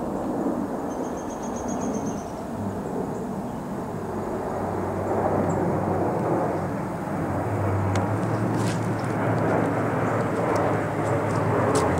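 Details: A steady low engine or aircraft drone with broadband outdoor rumble, and no clear animal sound. A few faint high clicks come through near the end.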